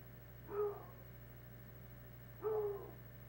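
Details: Playful hound dogs on a wood pile; two separate mid-pitched, slightly drawn-out barks about two seconds apart, each tonal with a quick fade, and a faint steady hum beneath.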